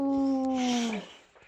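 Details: Boxer dog named Rex howling while talking with his owner: one steady, tonal, rich-harmonic howl held for about a second before sliding downward and fading, with faint background room sound.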